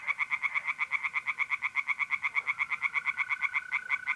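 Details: Loud, rapid tree frog croaking at a north-east Italian pond on an April night, regular pulses about seven per second throughout, over a sustained thin trill of mole crickets.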